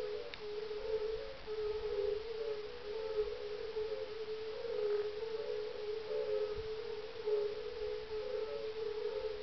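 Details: European fire-bellied toads in a dusk mating chorus at a small ice-age kettle pond in farmland near Parstein, Schorfheide-Chorin Biosphere Reserve, northeast of Berlin, Germany, on a mild evening of 30 May 2011: overlapping melancholic, dull 'oong' notes forming a steady low humming band.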